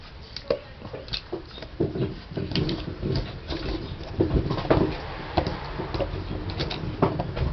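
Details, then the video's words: Basset Hound chewing gum indoors. Irregular wet smacks and soft clicks come in uneven bursts, loudest around the middle, over a low room rumble. "Basset hound chews a gum"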